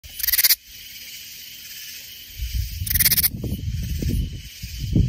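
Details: A katydid in the Hill Country near San Antonio, Texas, sings in two short bursts of rapid, raspy pulses, with low rumbling noise between.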